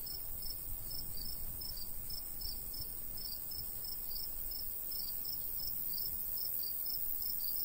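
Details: Rapid, regular high chirps from crickets in a summer wheat field in the countryside, pulsing on without pause against a continuous shrill hiss and a gentle, low wind murmur.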